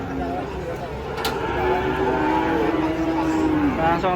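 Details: A cow coming down off a truck lets out one long, sustained low moo that slowly falls in pitch, with vehicle rumble and background voices underneath.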